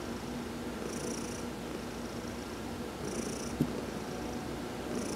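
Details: Domestic cat Heidi purring while being massaged during a sun bath on November 19, 2020: a steady, low, rumbling purr throughout, with soft hissy high-pitched bursts returning roughly every two seconds and one brief click.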